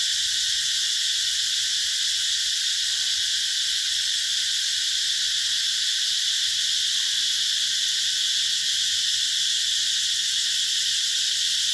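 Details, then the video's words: In the summer 2021 orchards of Mỹ Luôn eco-tourism area in the Mekong Delta, a chorus of cicadas keeps up a continuous, shimmering high drone with no pauses or change in pitch. "tiếng ve gọi hè"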